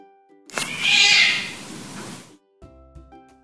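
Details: A domestic cat gives a sudden, loud, harsh, high-pitched screech of pain, the sound cats make when hurt that also signals the end of an encounter, over soft background music.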